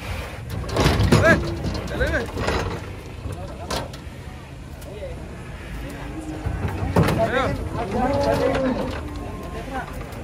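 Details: Giant bulls described as rampaging while being unloaded off a truck. A few drawn-out, low moos with wavering pitch, the longest late on, mixed with men's voices, clattering and thuds from the unloading.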